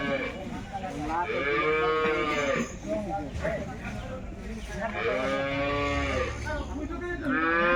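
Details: Several Jersey cattle at a wholesale market bellow in turn, two strong harmonic moos a few seconds apart and a third starting at the end, over constant background murmur of the market.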